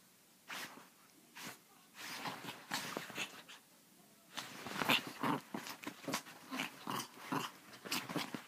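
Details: Chihuahua named Pepito, labelled crazy, gives scattered sharp yips early on, then a busier stretch of rapid, uneven barks and snorting bursts through the second half.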